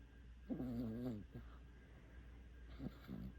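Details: Five-month-old puppy asleep after a walk lets out one drawn-out, slightly tonal snoring breath lasting under a second, followed by faint short snuffles and a low background hum.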